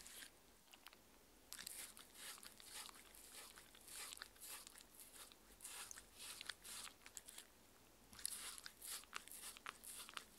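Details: Mindy, a 6-year-old female Shetland Sheepdog, eating her daily raw-food dinner of chicken, pumpkin soup, steamed chicken and raw beef indoors; crisp crunching and biting bursts in irregular clusters, with quiet pauses between mouthfuls.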